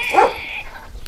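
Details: Anatolian Shepherd Dog, one of two sibling dogs (a male and a female) bred by their owner, lineage linked to Uşak; a single short, rough bark near the start, then quiet background.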